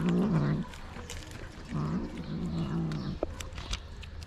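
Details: Angry stray kitten in Morocco resisting treatment while its mother watches: two low, rough, drawn-out growling cries of about half a second and over a second, then a few soft clicks and rustles.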